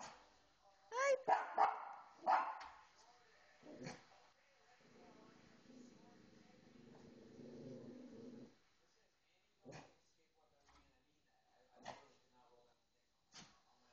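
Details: Female pet dog indoors, overexcited while watching a pet show on television; a burst of rapid, partly squeaky barks at the start, a low murmuring stretch, then sparse short barks and clicks.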